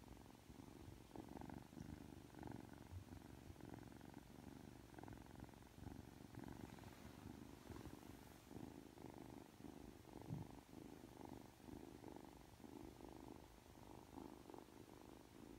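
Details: Ragdoll kitten Aki, three months old, fresh from sleep and cuddly, purring continuously for over fifteen seconds: a deep, buzzy, rhythmic rumble that swells and fades in regular pulses, recorded up close in a quiet room.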